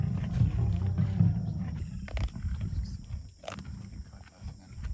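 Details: Lions of a small breakaway group of the River pride growl in deep, rumbling bursts, loudest in the first two seconds, as the hungry cats fight over a steenbok kill flushed towards them by African wild dogs.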